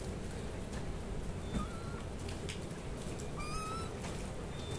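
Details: Kittens meowing: two thin, high, slightly rising mews, one brief and one longer near the end, half-buried under a steady hiss of background noise.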